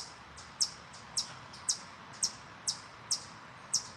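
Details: Chipmunks in a forest give sharp, high chirps, repeated about twice a second over a soft background hiss, growing louder; one barks closer to the recorder.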